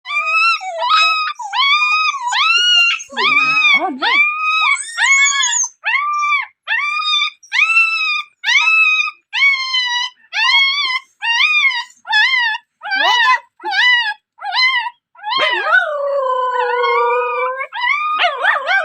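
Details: Dog: a long series of high, arched whining yelps repeated about once a second, each rising then falling, with a few lower moaning howls near the end and no other sounds.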